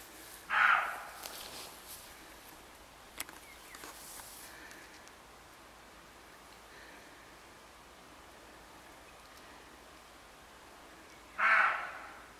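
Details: Two hoarse, rasping barks from a roe deer at the woodland edge on a late July morning. They come about eleven seconds apart, with faint rustling and a quiet outdoor hush in between.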